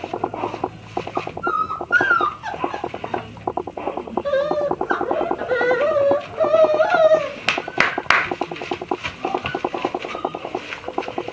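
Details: Black-and-tan Dobermann puppy indoors giving a string of high, wavering whines that rise and bend, some short and squeaky, others drawn out, over a steady rapid ticking patter and faint background noise.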